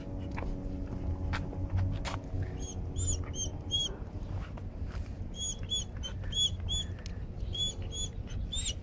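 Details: Leash-shy timid dog screaming in protest while being walked and desensitized to leash pressure: clusters of brief, piercing squeals in quick bursts of three to five, with pauses between groups, over steady low traffic-like rumble.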